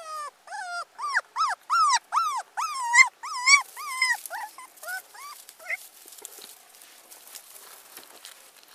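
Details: Abandoned teacup Pomeranian puppy whimpering in a rapid series of high, arching cries, about two per second, each bending up then down, fading into softer broken whines after five seconds with faint rustling behind.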